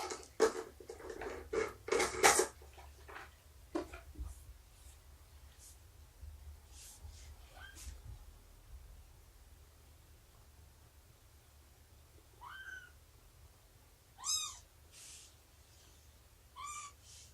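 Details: Indoor cat sounds during a kitten nursing and play time: bursts of handling noise and rustling early, then a few short arched meows with stacked harmonics spaced a couple of seconds apart near the end.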